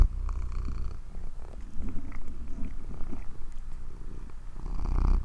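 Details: Purring cat, a soft, continuous low-pitched rumble with a fast, even throb, faint rustling and small clicks above it, swelling slightly louder near the end.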